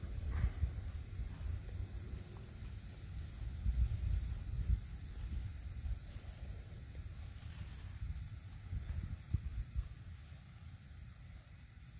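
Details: Outdoors, low rumbling wind buffeting the microphone with a few soft thumps; no animal calls.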